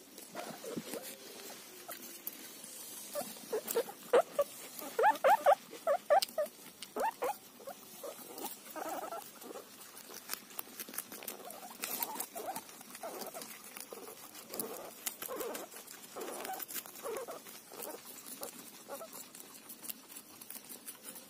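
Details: Guinea pig munching a cauliflower leaf, dense rapid crunching with a burst of brighter short squeaky notes early on, then continued irregular chewing clicks to the end.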